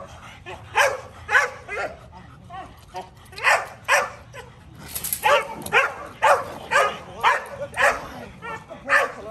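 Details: Kolohe, a male Rottweiler on his first day of bite work in protection training, barks in steady, forceful bursts about twice a second, with short gaps between each deep, rough bark.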